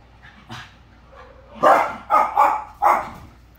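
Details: Two pet dogs, one a Corgi, wrestling in play indoors after waking: soft grumbles, then four loud, rough barks in quick succession, roughly every third of a second.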